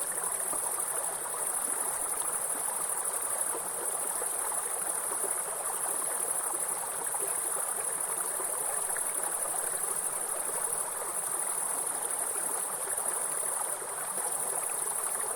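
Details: Grasshoppers in a forest beside a waterfall: a steady, high, shrill insect buzz runs unbroken throughout, over a broad rushing hiss of falling water and stream.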